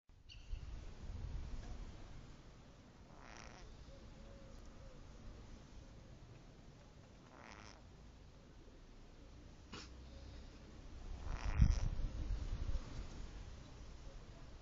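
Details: Sleeping domestic cat snoring: low, rumbling breaths with soft airy bursts recurring every few seconds, growing louder toward the end, in a quiet room.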